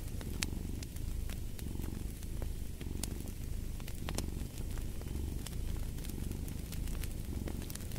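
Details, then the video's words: Low, even purr of a cat rumbling without pause, breathing in and out in soft waves, set against the irregular snapping and crackling of a wood fire. "Fall asleep to the Purring of a Cat & Fireplace"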